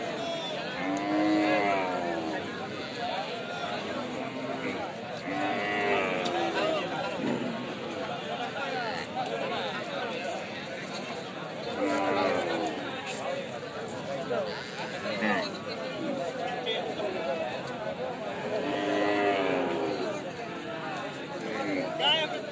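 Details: Young calves giving a series of long, wavering moos that arch up and down in pitch, several in a row, against steady background noise and occasional human chatter.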